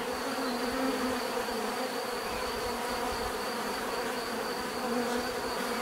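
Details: Bees produce a constant, even buzz, a rich droning hum of stacked tones that shifts slightly in pitch, under a faint steady high whine.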